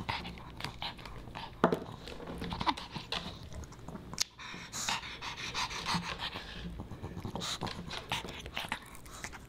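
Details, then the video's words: Pomeranian puppy Boba Bear eating dog-friendly fish and chips indoors; rapid breathy panting mixed with crisp chewing clicks, a sharp crunch around the midpoint, faint background music. "Animal Mukbang & ASMR: Puppy Dog Eats Fish N' Chips"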